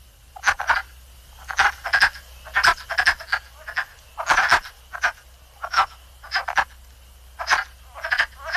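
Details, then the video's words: In spring, male wood frogs chorus in their vernal pool after migrating there, giving short, hoarse clucking croaks that sound much like quacking ducks; they do not make this call during the migration. "It's not ducks. Sounds like ducks, but it's actually male wood frogs chorusing in their vernal pools, singing."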